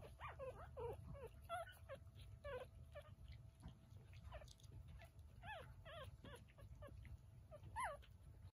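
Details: Young Chihuahua puppy making bursts of thin, wavering squeaks and whines with small gaps between them, some notes bending up then dropping, over a constant low background rumble.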